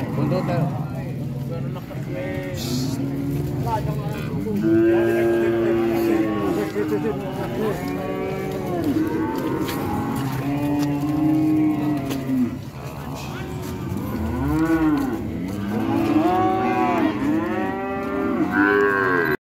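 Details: Several cows low repeatedly in drawn-out, wavering moos that overlap and arch up and down in pitch throughout, with steady background rumble and occasional vehicle noise.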